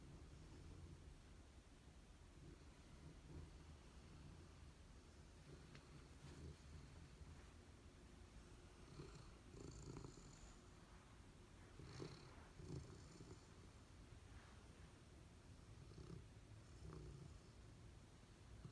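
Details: Sleeping and dreaming indoors, Golden Retriever Abundant Joy and Labrador Retriever Honey give low, purr-like snoring in steady breathing cycles, with occasional soft snorts and light rustling over a quiet background.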